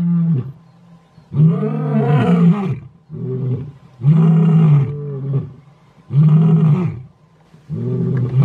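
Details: Roaring by big Mpondo male lions in South Africa, heavy low groaning calls rising then falling, about five long bursts roughly every second or two, some overlapping as if more than one male joins.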